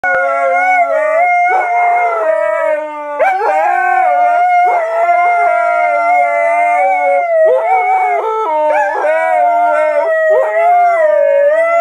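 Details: Siberian Husky singing indoors: long sustained howled tones with rich harmonics, sliding up and down in pitch, with brief breaks and wavering yodel-like shifts between phrases, continuous throughout.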